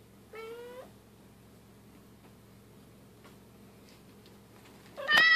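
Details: Bengal cats playing, a silver kitten with its mother and sister; one clear rising meow opens, a long hush with faint knocks follows, then a sudden much louder, higher meow bursts in at the end over a low hum.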